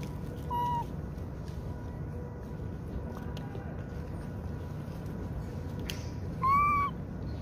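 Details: Baby macaque with no mother to protect him, bullied until seriously injured. Two short, clear, tonal calls with arched pitch, one near the start and one near the end, over steady low background hum and scattered faint clicks.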